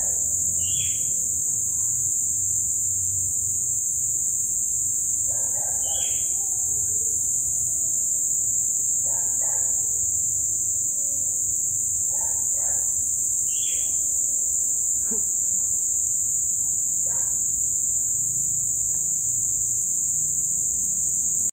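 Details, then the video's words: At sunset following heavy rains, crickets keep up a constant piercing trill, while scattered short bird calls and chirps punctuate the chorus every few seconds. "E muito, muito, muito barulho de grilo..."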